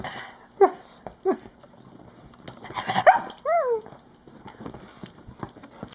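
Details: Cairn Terrier, a dark grey female pet, begging for toast: short scattered whimpers and snorts, then a clear high whine that rises and falls, with soft shuffling noises around it.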